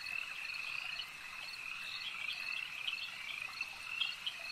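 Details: A crowd of frogs at a lake keeps up a steady, high-pitched croaking trill, with several louder individual chirps standing out toward the end.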